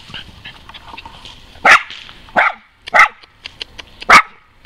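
A West Highland White Terrier barks four times, each bark short, sharp and fairly high for a dog. The barks come at uneven gaps of roughly a second over a low background murmur.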